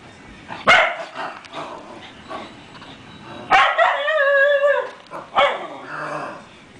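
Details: White schnauzer named Schug reacting to a new deer wall decoration indoors; a sharp yip, then a drawn-out wavering whine with a stacked harmonic tone, followed by another short bark.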